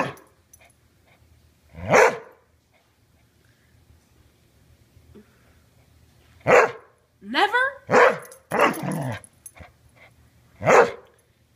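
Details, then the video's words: Border Collie refusing to give a ball back while being asked to drop it, answering with short bursts of throaty grumbling yowls, one with a quick rising whine, spread over several seconds between a woman's spoken pleas indoors. "Refuses to give ball back and talks. Hilarious talking dog"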